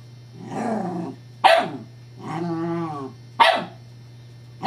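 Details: Scottish Terrier Evangeline playing with her new teething pacifier toy, whose disc rolls away. Drawn-out, wavering growly whines alternate with two sharp, loud barks about two seconds apart, over a steady low electrical hum.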